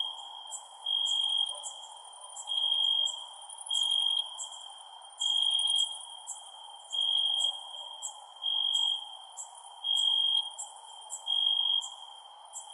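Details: Night-time cricket chorus, a constant shrill high tone broken by eight louder trilled bursts spaced roughly every one and a half seconds, sharp high ticks scattered over it, quiet background hiss.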